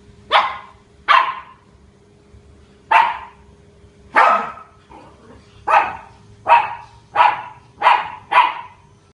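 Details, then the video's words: Domestic dog at a house barking at a big dog in October: nine loud, sharp barks, the first two close together, then spaced bursts and a rapid run of five at the end, with a quiet background. "barks at big dog"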